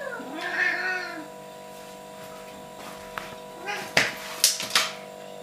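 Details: Domestic cat 'talking': a single wavering meow lasting about a second, then a short quieter call and several sharp knocking clicks near the end.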